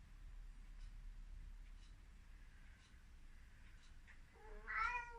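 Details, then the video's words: An excited Ragdoll cat, running about, gives one short, clear meow after several seconds of faint tapping. "Crazy ragdoll cat meowing - funny sound I Śmieszny kot ragdoll miauczy"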